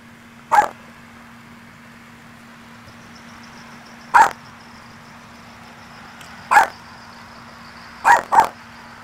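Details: Maltese named Luci barking at her own reflection in a church, taking it for another dog; five short sharp yaps spaced about two to four seconds apart, the last two close together, over a steady low hum.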